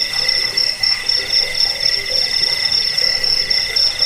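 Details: Continuous shrill cricket trill, used as a rat repellent and sleep aid and as a tutor sound for cage birds; high, ringing pulses repeat roughly four times a second in an even, unbroken stream.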